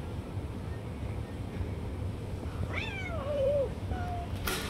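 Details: A cat called Tiger Cat snatching food from other cats and not letting anyone else eat gives one drawn-out meow that starts high and slides downward, then a short faint follow-up, over a steady low rumble of background noise.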